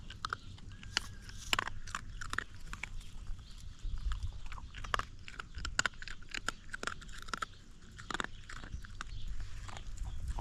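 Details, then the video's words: Young hungry dog gnawing its food very close up: rapid crackling and crunching bites, dense sharp clicks of teeth throughout, with low background rumble. "A hungry dog's teeth crackle loudly."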